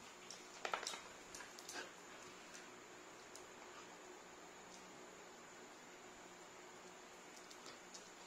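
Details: Three Labrador mix siblings, half Labrador, small, medium and large, playing together indoors: a quick cluster of sharp, high yips and whimpers in the first two seconds, then mostly quiet room noise with a few faint clicks.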